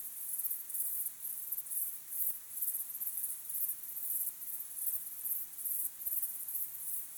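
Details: At sunset, crickets chirp in a high, thin, pulsing trill, with bursts repeating a few times each second.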